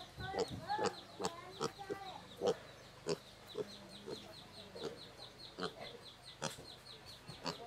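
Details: Domestic pig uttering short, harsh grunts in a steady series, roughly two per second, each with a low buzzy tone; a thin, regular high chirping runs underneath throughout.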